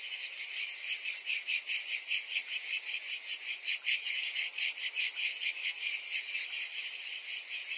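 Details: Many cicadas calling in summer: a bright, hissing buzz that wavers in quick regular pulses, about two and a half per second, unbroken for the whole stretch.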